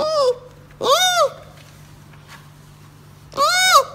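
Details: Baby giant panda giving honking, bleat-like cries that rise and fall in pitch, three bursts within a few seconds, with a constant low electrical hum beneath.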